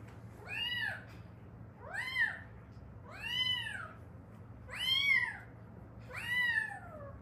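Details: Former stray from Haeundae, part of a rescued mother-daughter cat pair, giving a steady run of five rounded, arching meows at even spacing, each clear and tonal, with only a soft background hum.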